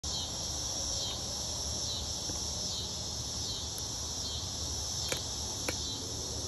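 Cicadas sing in a steady, high, hissing drone that never pauses.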